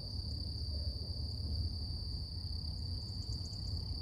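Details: Cicadas in the morning hold a steady, high, whining drone over a low background rumble.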